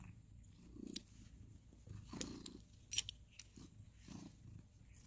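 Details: Quiet rhythmic purring from ginger cat Sir Salmon, groomed alongside tabby friend Abby Tabby at home in November 2020; the soft low rumble swells roughly once a second, with a few sharp clicks and rustles.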